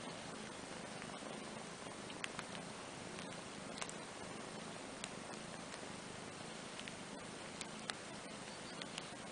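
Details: Andrew, a kitten, and his older half-sister Ana, a cat, relax together on a playmat; a soft, steady low purr runs throughout under faint hiss, with light ticks and rustles scattered across.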